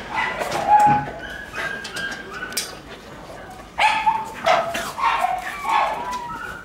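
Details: Shiba Inu puppy playing wildly indoors in the morning sunlight, giving short high-pitched yips and whiny barks with bright harmonics, several grouped near the start and a burst of four or five later, with room noise between.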